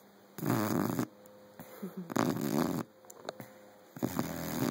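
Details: Teddy, a five-month-old Saint Bernard puppy, snores while asleep: broad, raspy breaths last under a second each and come roughly every second and a half, with quiet gaps between them.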